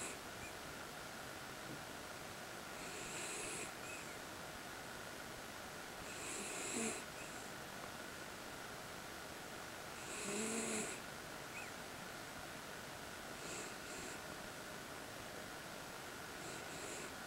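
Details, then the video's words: Miniature Schnauzer named Suga snoring while asleep indoors: soft breathy snores with a low moaning tone, repeating roughly every three to four seconds over steady faint room hiss. "Miniature Schnauzer Suga Snores"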